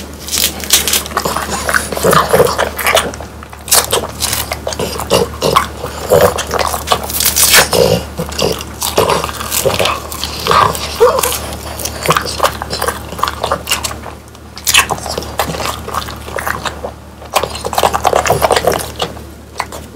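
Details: Three French Bulldogs eat whole quail, hand-prepared and dried until crunchy with bones inside. Long run of brittle cracking bites and gnawing, near-continuous with a few brief pauses, over a low steady indoor hum.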